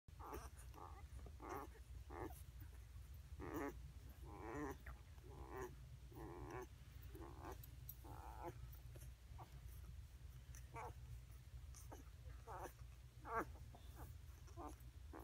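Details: Eight-day-old Basset Hound puppies give short, squeaky whines and whimpers over a steady low hum.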